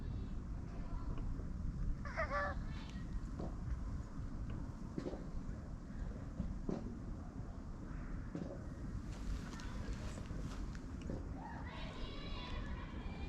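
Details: Domestic cat giving a falling, harmonic meow near the start, then a shorter rising cry near the end, both partly buried under steady low wind and vehicle rumble.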